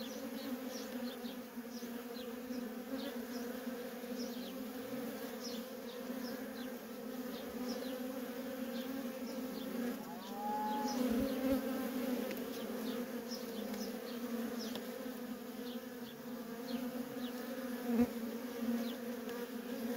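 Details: Worker honey bees in steady traffic at a feral colony: a dense, continuous low hum with strong bands around 250 and 500, overlaid by many brief rising whines of single bees passing close, plus a faint whistle-like tone midway.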